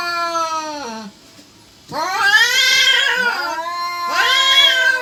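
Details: Domestic cats caterwauling, either wanting to mate or about to fight; long, loud, wavering yowls that bend down in pitch, a brief pause, then a drawn-out rising and falling wail and another swelling yowl.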